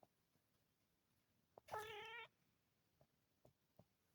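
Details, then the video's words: A relaxed, sleepy male Munchkin cat yawning; a single half-second voiced yawn with clear layered harmonics, set in a quiet room with a few faint soft clicks before and after. "the cute little Munchkin cat, relaxing and yawning his head off!"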